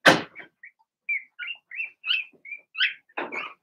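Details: A soft thump opens the scene. Blenheim Cavalier King Charles Spaniel puppies in a home pen, from a litter of six, then make a run of rising, squeaky whines about every quarter second, and a second bump sounds near the end.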